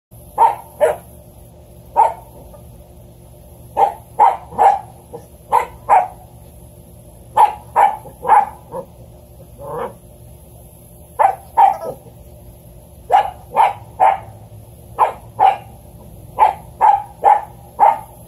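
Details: A male Standard Poodle puppy, exploring the backyard and a new toy, gives sharp, high yaps in quick bursts of two or three.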